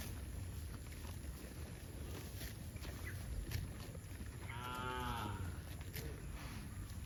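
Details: Cattle mooing while heading to a rural field; one drawn-out harmonic moo near the middle over steady low rumbling background noise.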